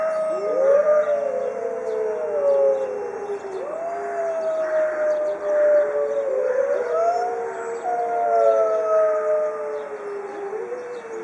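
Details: Zoo pack of white Arctic wolves howling in unison; multiple long wavering howls cross and overlap, voices dipping and rising against each other in a dense, sustained group chorus.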